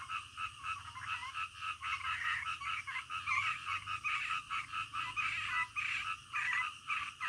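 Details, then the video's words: Frogs calling in the middle of the night: a dense, steady chorus of pulsing, throbbing croaks that rise and fall in loudness roughly every half second, with no other clear sounds. "SUARA KODOK DITENGAH MALAM"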